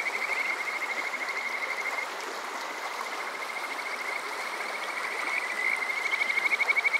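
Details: Kajika frog calling on a summer night at Water Park Shirayama in Yokoze, Chichibu, Saitama, Japan, TASCAM DR-05X recorder: a thin, continuous high trill of rapid pulses, swelling louder toward the end, over constant flowing-water hiss.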